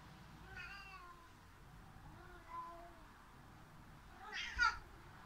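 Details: Pet cat grumbling after the other cat fled up the cat tower; a soft meow, a faint quiet mew, then a short sharp louder cry near the end, over low room hum.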